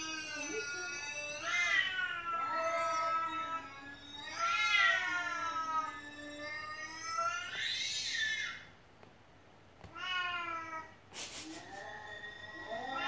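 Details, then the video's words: Pet cat at home that will not stop meowing, answering played recordings of other cats; a series of loud, rising-then-falling meows, about one every two to three seconds, with a brief sharp click near the end. "แมวที่บ้านร้องไม่หยุด1 เลยเปิดคลิปแมวร้องให้ดู"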